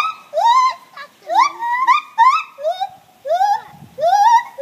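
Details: Gibbons calling in the morning with overlapping rising whoops, some short and clipped, others drawn out and sliding, building into a dense, lively exchange.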